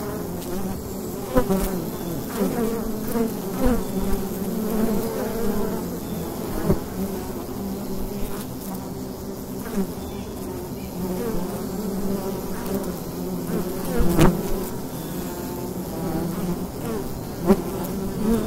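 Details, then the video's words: Steady swarm drone from the mouth of a wild beehive during a fall day, low wavering hum bands throughout, punctuated by sharp taps and occasional louder fly-by buzzes. "Wild Bee Hive in the Daytime - ambient sound"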